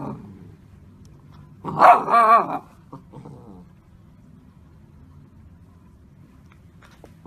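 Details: Golden Retriever puppy giving a short, harsh bark-growl bout of about a second, with a few faint yips after it, indoors against low background hum.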